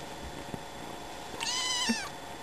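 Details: Sleepy kitten, newly added to a family and struggling to wake up, gives one drawn-out, slightly wavering meow that rises then falls, with a person speaking softly before and after.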